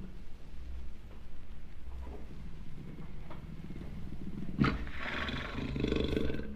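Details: Low, throaty jaguar roar made of rapid pulsing grunts that swell toward the end, with a sharper rasping burst near the close over steady background rumble.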